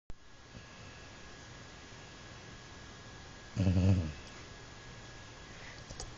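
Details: Jack, a sleeping dog nicknamed Mr. Snores-a-lot, gives a single low rasping snore about half a second long in a quiet indoor room, with faint steady background hiss.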